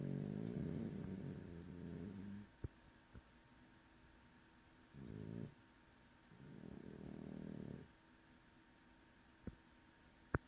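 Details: A heavily sleeping French Bulldog snores in low, rattling, grumbling bursts with quiet pauses between breaths.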